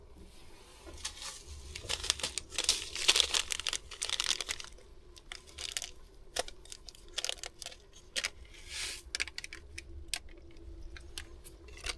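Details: Crinkling, crumpling and tearing noises, like plastic packaging being handled, fill a small indoor space. No animal voice can be heard.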